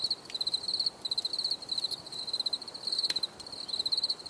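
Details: Short bursts of bright, pulsed cricket chirping, each a rapid trill lasting under a second, separated by brief quiet gaps, with a sharp click near the three-second mark.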